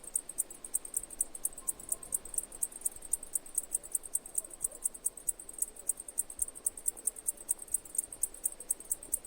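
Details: Cicadas singing, a piercing high rattle beating in quick regular pulses about four a second, with a faint low tone briefly heard.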